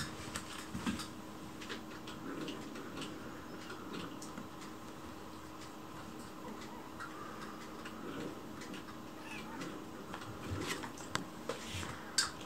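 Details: Chicchi, a lone rescued white kitten, begs for food in a sweet, coaxing voice whenever someone is in the kitchen. Soft, faint meows rise and fall several times over low indoor hum, with light clicks and kitchen clatter.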